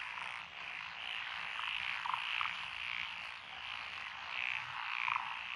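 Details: Frogs of several kinds calling in lotus rice paddies at Echizen, Fukui, in June 2021; a continuous chorus with distinct short croaks popping out roughly every second or two.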